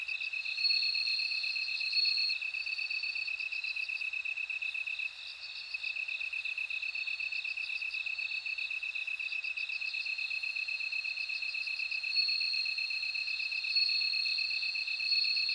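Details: Bell cricket song: a steady, high, pulsed ringing trill holds on without pause, while a second, higher tinkling line rises and fades in short bursts above it, as if several crickets call together.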